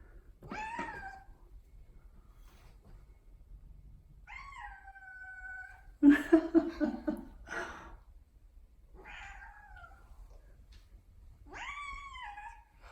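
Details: Indoors, house cat Odeko seems to be pleading: several separate, tonal meows, some level and some falling, spaced a few seconds apart, with a burst of a person's talking and noise in the middle.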